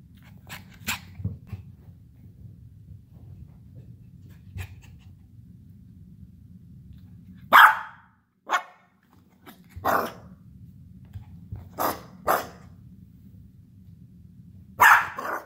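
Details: Pixie, an energetic Havanese puppy, gives sharp broadband barks: a pair near the start, then single yaps and short clusters spread irregularly over the clip, with a steady low indoor hum and faint scuffles between them.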